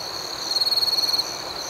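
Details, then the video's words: Nighttime cricket chirping: a rapid, pulsing high-pitched trill of roughly three quarters of a second rises above a constant background chorus of crickets. "Soothing Cricket Sounds"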